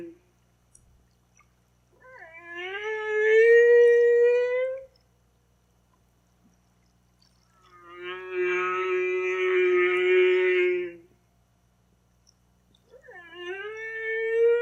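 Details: Song of a humpback whale in three drawn-out units. A rising, slightly wavering tonal moan comes first, then a steady, richly harmonic low moan, then the upswept unit starts again. Quiet pauses fall between units; no other sounds intrude.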